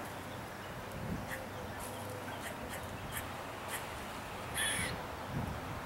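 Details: A squirrel in Seville Square park, downtown Pensacola, Florida, gives short, harsh, scolding barks at uneven half-second to one-second intervals while glaring down from a tree, angry at a Khaki Campbell duck rooting for acorns nearby; background hiss and faint voices.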